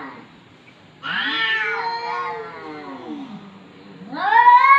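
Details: Domestic cat uttering long, moaning meows that sag slowly downward after a sudden start, then a sharp rising, louder cry at the end.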